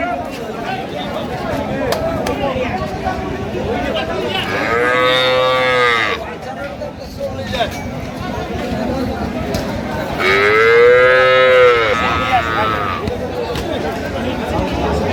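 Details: Improved-breed milking cows with calves at Ambari market, Dinajpur, Bangladesh, 15 September 2025: two long, full-throated moos, the second one rising and slightly longer, separated by traders talking and general bustle.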